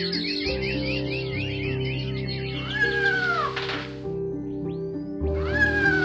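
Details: Cat giving a drawn-out meow that rises and then falls, followed by a second, shorter meow, over steady background music with light chirping notes at the start.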